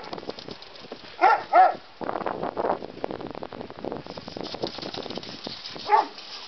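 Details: Terrier mix and bulldog learning to play: three sharp, mid-pitched barks, two in quick succession near the start and a lone one later, with scuffling, rustling and panting-like noise from the romping dogs between them.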